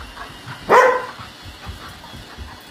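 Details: Great Pyrenees–Golden Retriever mix puppy, about four months old, barking at a robot vacuum indoors; a single loud, sharp bark, then quiet room noise.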